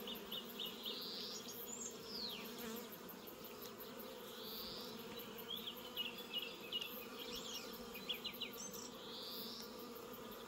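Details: Bees buzzing around a cat in an orchard in New Zealand; a steady low drone with layered overtones runs throughout, while small birds chirp and twitter in short high bursts above it.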